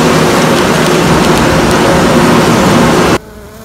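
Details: Queenless honey bee colony during queen rearing: a dense, steady, broad buzzing hum that fills the low and middle range for about three seconds, then cuts off abruptly into near quiet.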